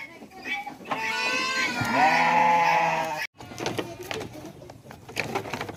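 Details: A hungry goat at a large goat farm in Mumbai, India, gives one long, loud, wavering bleat lasting about two seconds, followed by a short break and then clattering and muffled background noise.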